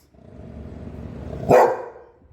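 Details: Golden Retriever dog barking once, a sudden loud woof after a stretch of low rumbling background, the bark decaying over about half a second.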